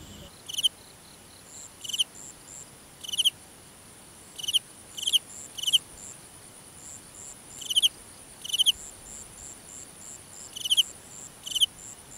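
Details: Crickets calling at night in a grassy field: sharp, high chirps given singly or in quick pairs at uneven intervals, with fainter, softer chirps from other crickets between them against a quiet background.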